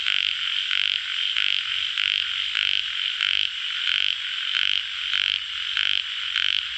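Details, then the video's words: A chorus of tiger frogs, also called yellow frogs: grating croaks repeat about ninety times a minute in a loose rhythm, rising above a constant buzzing background of many more callers. "Frog sound- Yellow Frog call Tiger Frog"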